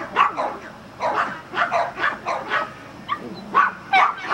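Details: Agility-training Border Collie in Vale do Sol, Guapimirim, Brazil, letting out loud, separate barks about twice a second, a short gap near three seconds, then more barks.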